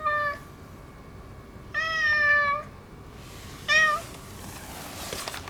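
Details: Affectionate neutered boss ginger tomcat mewing. Three meows: a brief one, then a longer level nasal meow, then a short one. Faint steady hum throughout.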